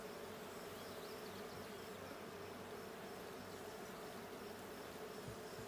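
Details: Hive check of a honey bee colony in a blue hive, 20 June 2022: constant low buzzing of the colony, a smooth even drone with slight rumbling underneath.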